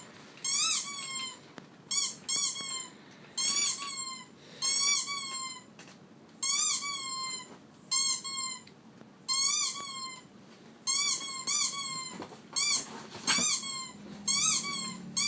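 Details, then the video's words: Dog making a squeaky sound indoors: bursts of high, rising-then-falling squeaks, several quick notes per burst, repeated roughly every one to two seconds for the whole stretch, with faint low room noise between. "Squeaky sound on my dog"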